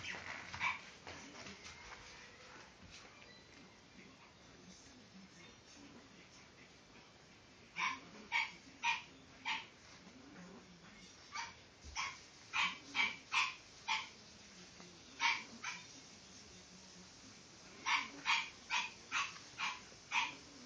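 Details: French Bulldog puppy, a pied male born April 14, 2012, kennel-raised in Japan. Short high yapping barks come in bursts, several quick yips clustered around eight, thirteen and eighteen seconds, over a faint steady background hiss.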